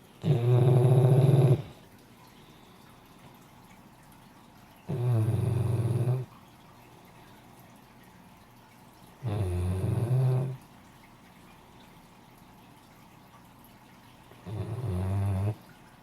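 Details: Sarah, a female Great Dane, snoring steadily indoors: four low, rasping snores of about a second each, spaced roughly every four to five seconds, with quiet breathing pauses between.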